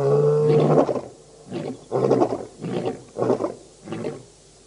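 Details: Birmingham Boys lion coalition roaring at the dam, Djuma Game Reserve in Sabi Sand, South Africa, August 2016; one full harmonic roar opens, then four fading grunts follow at roughly regular intervals.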